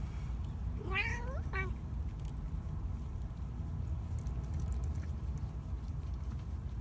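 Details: Two-week-old kittens meowing: two high, rising-then-falling mews around the one-second mark, the second shorter, then quiet over steady low rumbling background noise.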